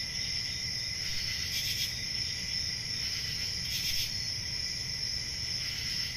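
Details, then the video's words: Crickets on a country summer night, a continuous high shimmering trill held steady throughout, with a softer lower band beneath and brief brighter bursts of chirping near the second and fourth seconds, over a faint low rumble. "10 Hours Relaxing Cricket Sounds For Sleep | Ambient Summer Night"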